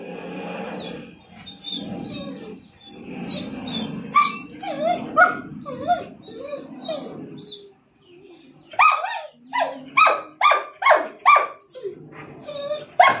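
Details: An excited German Shepherd Rottweiler mix, realising he is going outside for a doctor visit, lets out rapid whines and yelps, with a person talking nearby.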